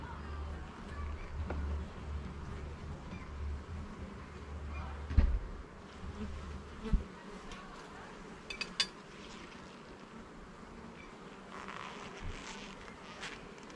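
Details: Bees in a garden hive being opened and inspected level by level, frame by frame, make a steady low droning hum. Scattered knocks and clicks come from the handling of the hive.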